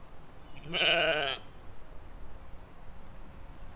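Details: Single loud, quavering baa from sheep or lambs grazing in a field, filmed in spring 2020. It lasts under a second, then gives way to a quiet low background hum of open countryside.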